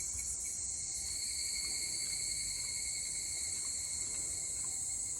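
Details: Evening cicadas singing on 22 July 2022. A continuous, steady, high shrill drone with layered tones lasts through the whole stretch, with faint low background noise.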